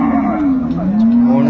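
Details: A brief, steady, nasal moo lasting just over a second from the dairy cows and calves sold at Ambari market in Dinajpur in February 2025, heard beneath background voices.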